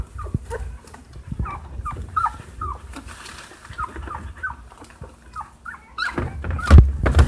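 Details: Two-week-old Siberian Husky puppies born 29 August 2015 at a breeder in Hamamatsu, Shizuoka, eyes just starting to open, whimper in short, thin, repeated whines over a low rumbling background.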